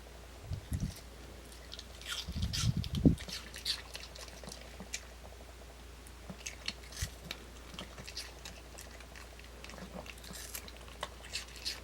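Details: Kimdungi, a pet dog, eating an apple: crisp, irregular crunching bites about three to four per second, with a few louder low thumps early on and a steady faint hum beneath.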